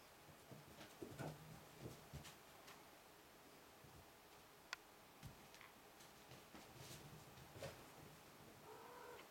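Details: Five-week-old Ragdoll kittens romping indoors while their mother, Cherry, can barely keep them in check; a few short, faint meows come through amid soft thumps and rustling from the play in a small room.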